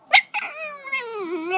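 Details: Pet dog reacting to being called a nickname it dislikes: one sharp bark, then a long, steady, tonal howl that slowly sinks in pitch and wavers near the end.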